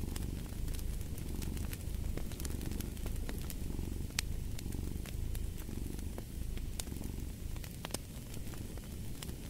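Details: Cat purring steadily in a low, rumbling drone that swells and eases with each breath, while a fireplace crackles with sharp pops and snaps throughout.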